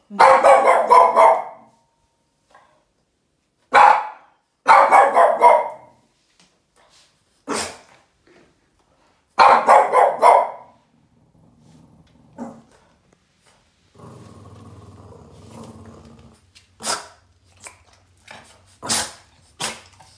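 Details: Yoda, a Boston terrier, keeps barking at a trash can in anger: clustered sharp barks, then a drawn-out low growl, followed by a few brief, quieter barks and clicks near the end.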